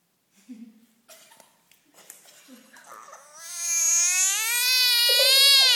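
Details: Frog caught from a backyard pond, screaming like a cat when handled; after a few seconds of quiet voices, a loud, wavering, high-pitched wail with stacked harmonics rises and holds to the end.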